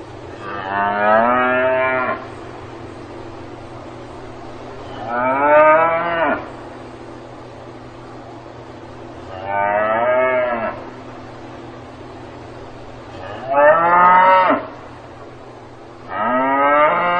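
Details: Cow mooing on a farm, five drawn-out harmonic calls of one to two seconds each, swelling and dropping in pitch at the close, separated by quiet gaps of about three seconds with a constant low hum behind.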